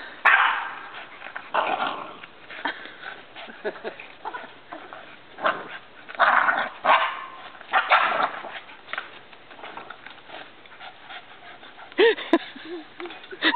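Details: A Labrador Retriever and a Boston Terrier playing tetherball: irregular short barks and excited yips in bursts, spaced a second or two apart, with people talking and cheering over them and a rope or ball striking.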